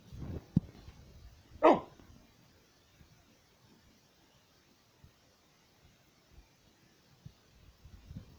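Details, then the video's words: BoBo, a 13-year-old pit bull watching outside the window indoors, lets out a single sharp bark after a couple of soft low huffs, followed by a quiet room with faint scuffling. "A 13 year old pitbull barking, coughing and watching"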